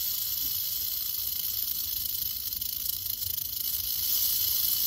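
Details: Continuous rattling from a curious western diamondback rattlesnake: a sizzling, high, steady buzz with slight flutters in strength, sustained without a pause across the whole stretch.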